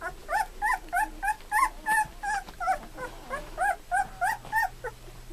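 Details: Two-week-old Golden Retriever pups from Sadie's litter, eyes just open, learning to walk, squeal in a busy chorus of arched, nasal whimpers roughly three a second, loud and close, over a low hum.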